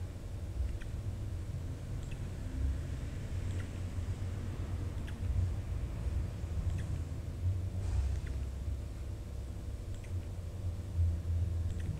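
Only a steady low rumble with a few faint soft clicks is heard, and no clear animal voice.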